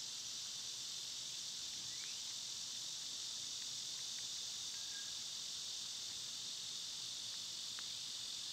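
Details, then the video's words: Cicadas in summer, a loud seasonal insect chorus outdoors: a steady, dense, high hissing buzz that never breaks, with a few faint short bird chirps and whistles scattered over it. "Cicada sounds"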